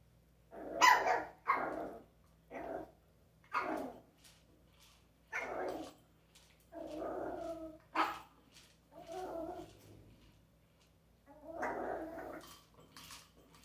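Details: Dog playing with an interactive toy, barking repeatedly about once a second, some barks harsh and growly, others shorter yips, in a steady excited series over a faint hum.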